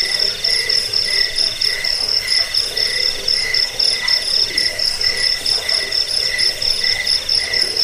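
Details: Crickets calling, presented for scaring away rats, helping sleep and teaching birds to sing; a piercing high ringing trill layered with quick chirp pulses around four each second, even and unbroken over the whole stretch.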